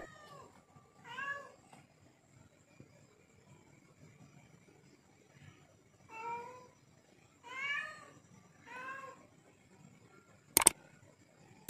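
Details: Hungry leopard cat asking for food: four separate harmonic meows spaced a few seconds apart, some wavering and drawn out, over a quiet background, with two sharp clicks near the end.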